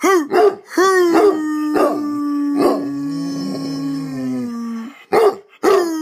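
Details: A hound, coaxed to howl along with a person, gives short, rough barks that break into a long, steady, slowly falling howl.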